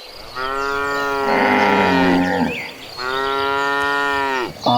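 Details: A herd of cows rushing toward green pastures; two long, drawn-out harmonic moos, each lasting about two seconds and falling slightly at the end, separated by a short pause, with another moo starting at the close.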